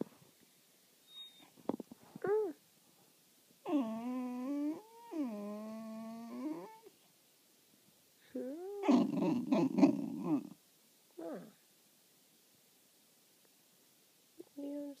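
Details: A Corgi told to speak answers indoors with a series of long, level, whining howl-like vocalizations, each about a second, then a rougher, warbling growl-whine and short rising yelps, separated by quiet pauses.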